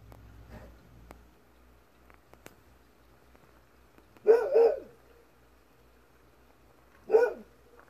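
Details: Golden Retriever Kohaku at twilight, barking in response to a faintly heard distant fox: after quiet rustling, a quick double bark near the middle, then one more single bark a few seconds later.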